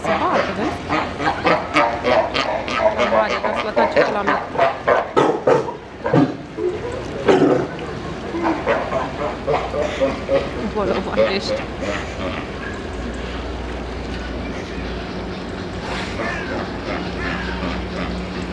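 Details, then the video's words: Sea lions at the Frankfurt zoo give hoarse, rapid barks in quick repeated bursts, with people talking nearby. "Sea lions barking at the Frankfurt zoo"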